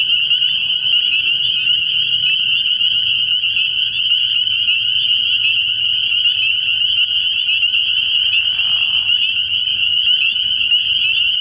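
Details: Early-spring nighttime frog pond full of spring peepers, their massed high shrill peeping holding as one unbroken ringing band throughout, with a brief lower rasp near nine seconds.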